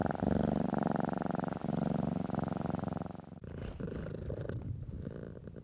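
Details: Purring domestic cat being stroked, from footage meant to reassure anxious house cats: a strong even rumbling purr in two long breaths, then a softer, rougher purr with light rubbing noise after a sudden shift.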